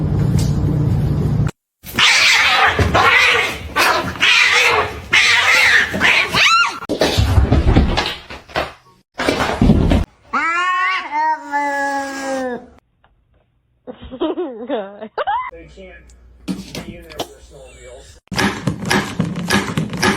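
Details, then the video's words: Kitten meowing in a funny cat compilation: a drawn-out, wavering meow that rises then falls, with a shorter wobbly cry after it, set among bursts of noisy household sound, clatter and brief silences. "kitten meowing"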